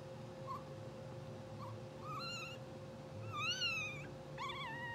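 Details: English Bulldog puppies, a blue sable litter only two hours old, sleeping and twitching: several high, wavering squeals and whimpers come in quick bursts, some arching up then down, over a constant hum.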